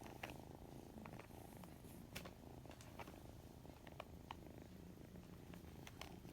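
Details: Young white cat with odd-coloured eyes, caught mid-yawn, purring in an unbroken low throb, with sharp little clicks and taps scattered throughout.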